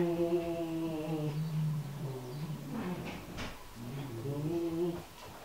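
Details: Oriental Shorthair cat, described as fierce, attacking a Rottweiler indoors; low, harmonic growling yowls rise and fall in long drawn-out moans, broken by a short burst of scuffling noise midway before the drawn-out growl resumes.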